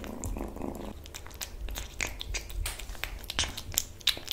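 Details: Kitten purring while eating, a low steady rumble under a short voiced murmur in the first second, then wet chewing, lip smacks and sharp clicks close to the microphone in a small indoor room.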